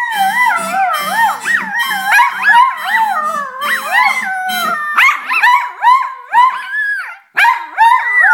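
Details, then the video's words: Pair of poodles singing together, continuous wavering howls that swoop up and down in overlapping voices, with a faint steady background hum under the first half and short rising yelps near the end. "Singing Poodles"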